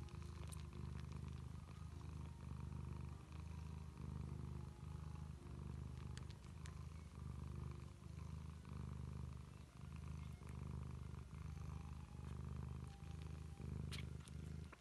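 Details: Bengal cat purring, a steady low rumbling in long unbroken waves that swell and ease with each breath, with faint clicks and soft room noise behind.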